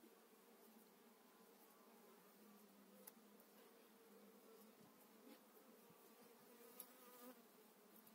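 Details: Spring 2018 hive transfer of honey bees, eight frames moved into a beekeeper's own hive: continuous humming drone with several stacked, even tones and scattered faint ticks of handling.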